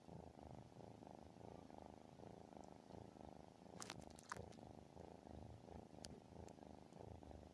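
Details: Very loud domestic cat purr, or maybe a snore, rolling deep and buzzy in pulses roughly every second and a half, with a brief cluster of crisp clicks partway through.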